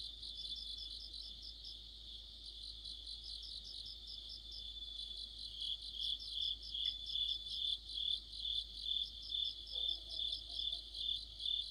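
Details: Autumn insect chorus led by crickets. At first, high thin chirps carry the sound. About halfway through, a louder, sharper cricket trill joins, beating in regular bursts roughly twice a second. A faint low sound is heard near the end.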